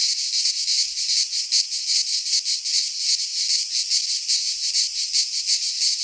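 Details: Cicadas in a Greek pine forest in midsummer, a dense, steady, high-pitched buzzing chorus with a fast pulsing throb running through it, no other sounds present.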